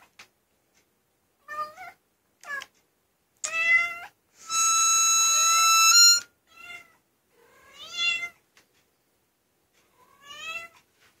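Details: Pet female cat answering a high-pitched harmonica with drawn-out meows; short meows open, a sustained bright harmonica chord sounds for nearly two seconds, then the cat replies with louder wavering meows that rise and fall, spaced a second or two apart.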